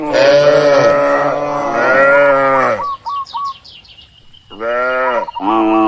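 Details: Tame cattle grazing under herding in a broad oil palm plantation. Two long, loud moos come first. A quieter gap holds brief high chirping notes, then two shorter, lower moos follow.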